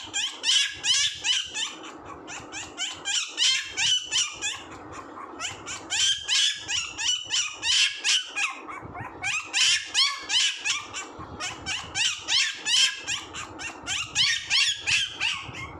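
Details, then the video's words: Puppy making rapid high-pitched squeaky yips in long runs of about three per second, pausing briefly between runs, over a faint low background. "puppy sound 😂 funny puppy sounds"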